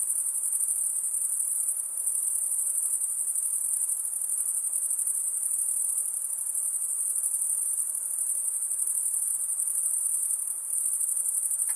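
A steady, very high-pitched insect hiss rings without pause through the night.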